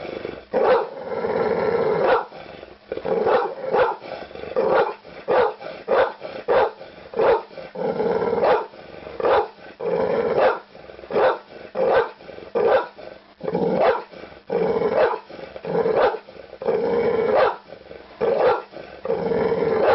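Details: Pit bull dog giving rapid harsh barks in irregular clusters, some short and clipped, others longer and rougher like growling barks, continuing without pause.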